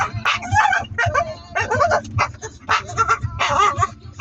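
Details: Staffordshire Bull Terrier making funny vocal noises, a run of short, throaty, harmonic grumbles and yelps in quick bursts with brief pauses, while people talk and laugh nearby.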